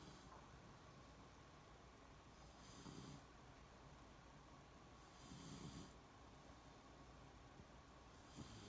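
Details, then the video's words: Shiloh, a Beagle in deep sleep, snores in slow rasping breaths roughly every three seconds. Each exhale is a breathy, hissy rush with a low rumbling undertone, set against a steady low background hum. "ビーグル犬シャイロ 熟睡いびき"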